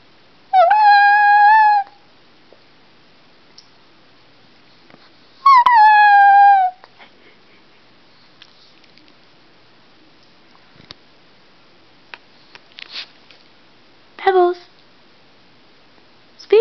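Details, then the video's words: Female Chihuahua howling indoors: two clear, tonal howls lasting over a second each, slightly wavering then sliding down, several seconds apart, followed by a brief, higher falling wail near the end in an otherwise quiet room. "The Chihuahua Howling"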